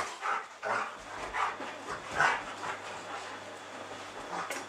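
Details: Playful schnauzers Bodie and Eric, great friends romping to let off steam; a string of rough, mid-pitched barks and grumbles comes roughly every half second at first, then fades into softer scuffling sounds and a low hum.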